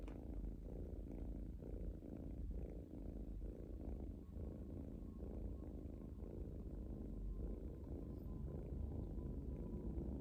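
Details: Pet kitten purring while relaxing, a strong low rumbling buzz pulsing in regular breath-length cycles, steady throughout with no other clear sounds.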